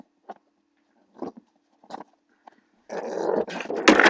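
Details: Blue pit bull puppy play-fighting indoors with a person: a few soft scuffles, then from about three seconds a loud, continuous rough growl, broken briefly and then rising into a harsher burst at the end.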